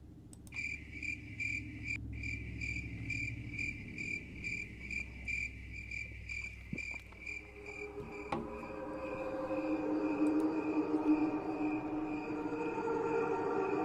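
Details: Crickets chirp naturally in bright, high pulses, about two or three a second, before a low choir-like wash rises from the same chirping slowed down.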